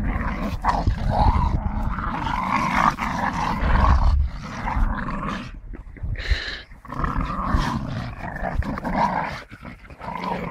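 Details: Staffordshire bull terrier tugging and playing with a tyre, growling in low rough waves with short pauses, plus knocks and rubbing noises from the tyre.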